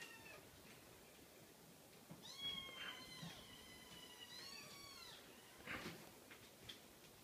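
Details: High-pitched meows from a cream Scottish Fold kitten. Two clear arched, falling cries stand out in the middle, with softer bursts and light rustling around them against a quiet background.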